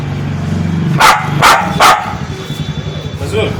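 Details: Spitz dog giving three sharp, loud barks in quick succession, set against a low rumbling background and a murmur of voices.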